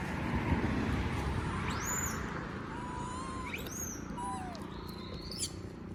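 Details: Monkey named Moby begging for food while others eat peanuts: thin, whistled calls, some arching high then falling, others long, level tones that dip at the end, over steady low background rumble.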